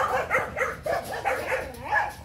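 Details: Phu Quoc Ridgeback puppies, a litter at a kennel in Saigon on 29 August, recently given their first vaccination, with ears starting to stand. High yelping barks come in rapid overlapping bursts about every third of a second, several pups calling.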